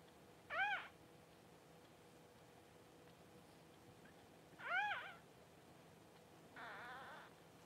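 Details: Newborn Cavalier King Charles Spaniel puppy during mother Paris's home whelping of her first litter around January 1: two faint, rising-then-falling squealing cries about four seconds apart, then a softer buzzy wavering cry, over a quiet indoor background.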